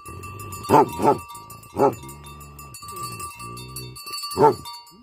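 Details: Tibetan Mastiff (Bhote Kukur) barking angrily: a quick double bark, then a single bark, then a long gap filled by softer bleating livestock calls before one more sharp bark. Faint ringing bell tones persist throughout.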